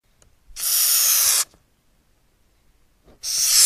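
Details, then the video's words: Madagascar hissing cockroach, a wingless species commonly bred at home, producing a sharp airy hiss lasting about a second, then a pause before a second hiss begins near the end. "Odgłosy i Dźwięki jakie wydaje Karaczan madagaskarski"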